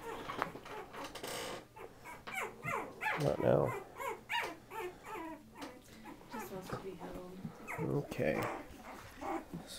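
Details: Patterdale Terrier puppies, about 20 days old, almost three weeks, make high squeaky whimpers and short yelps in quick irregular bursts, one pup especially vocal, while a person talks and laughs close by indoors.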